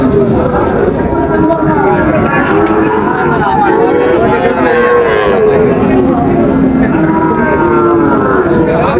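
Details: Young Sahiwal bulls at the opening of trading at Raniganj market in Dinajpur, 30 September 2024: a chorus of drawn-out, bending moos from several calves over steady crowd speech and market noise.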